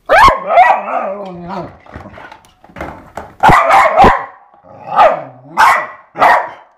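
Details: Eva, a pet dog, playing with a skateboard, gives loud excited barks and drawn-out growling yowls with wavering pitch, in about six bursts over seven seconds, mostly in a fairly high register.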